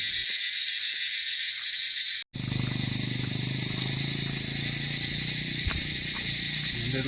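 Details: In the evening at Dowhill, Kurseong, in the Himalayan Darjeeling district of West Bengal, India, a dense, unbroken chorus of crickets rings shrill and high around the school grounds, with natural sound and no effects. Partway through, a man talks and footsteps join in.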